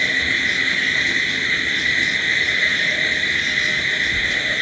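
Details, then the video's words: Constant high-pitched trilling of crickets after dark, an even wall of sound that holds steady in loudness across the whole short stretch. "Sounds of Night Crickets"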